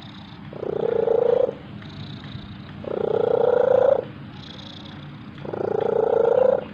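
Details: An orange domestic cat purrs in three rough, buzzy bursts, each about a second long with short pauses between.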